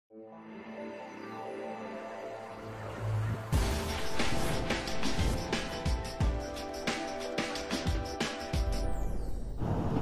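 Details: Background music swells after a quiet start, with driving percussive beats and faint speech underneath, and no animal sounds.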